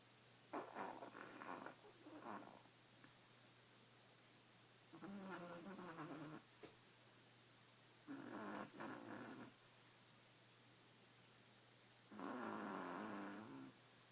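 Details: Sleeping badger snoring noisily: raspy, breathy bursts about a second long, repeated every three to four seconds with quiet gaps between, some bursts carrying a rough, rattling texture.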